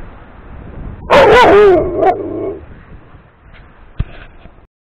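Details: Pet dog demanding that its big yellow ball be thrown, dated 02-04-2018: a single loud, quavering yelping bark followed by a short tail-off, then faint room noise and a click.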